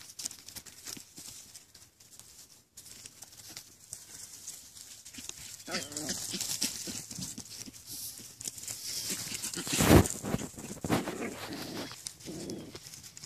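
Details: Jack Russell Terrier puppies from a litter of broken and rough coat jacks give short, wavering whimpering cries about midway and again near the end, over soft rustling and scratching noises.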